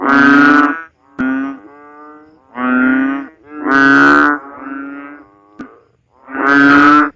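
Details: Banded bullfrog (Kaloula pulchra) gives loud, nasal, mooing calls, each under a second long, repeated every couple of seconds.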